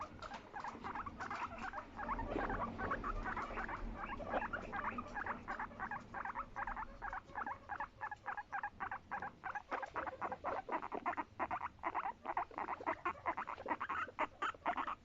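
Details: Domestic guinea pig's sweet, affection-seeking voice: quick chains of short, squeaky chirping pulses, softer and smeared at first, then sharper and more evenly spaced in the second half.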